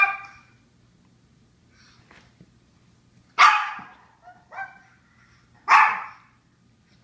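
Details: Japanese Chins barking: loud harsh barks at irregular intervals, a quieter short double yap between them, and faint distant yips, with a low constant hum underneath.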